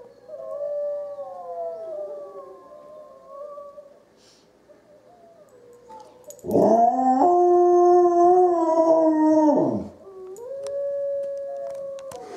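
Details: Izzie the dog answering wolves with a howl: fainter wavering howls at first, then a strong steady harmonic howl of about three seconds, followed by another sustained tone.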